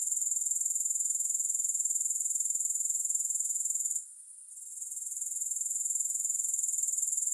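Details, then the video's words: Grasshoppers with no music: a steady, very high-pitched pulsing trill, about four pulses per second, that drops away briefly near the middle and then resumes at full strength. "Grass Hopper Sounds"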